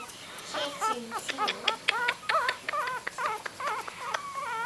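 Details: Several three-week-old puppies, eyes just open, squeak and whine rapidly with wavering, rising-and-falling high-pitched yelps tumbling over each other, about two or three a second.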